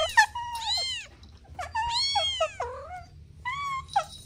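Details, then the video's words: Playful kittens with their mother and two siblings, uttering short rising and falling meows and squeaks in quick succession, separated by brief pauses, against a quiet low hum. "Sweet Kittens Playing Together | Soft Meows"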